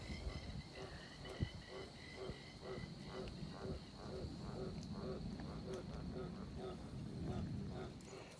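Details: Frogs start croaking in a steady chorus at the end of a dam as water flows in after rain: short pulsing notes repeating several times a second over rushing water.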